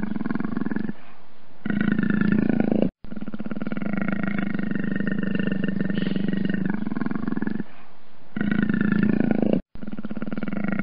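Deep, throaty growling from a leopard rolls on in sustained rumbling stretches. The rough, pulsing sound stops briefly a few times before starting again.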